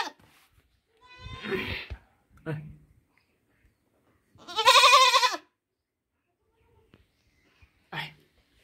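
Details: Baby goat giving one strong, quavering baa lasting about a second, surrounded by softer murmuring voices and brief thumps.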